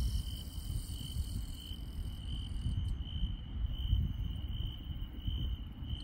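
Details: Insects on a countryside night: a steady, high, unbroken trill runs throughout, with fainter higher chirps pulsing in the first half, all over a constant low rumble.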